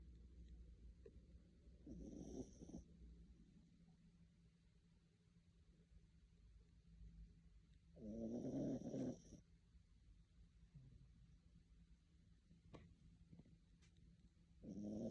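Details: A tired dog sleeping and snoring: rasping, buzzy snores that come in bursts of about a second, separated by long quiet stretches of soft breathing, with a few faint clicks between them.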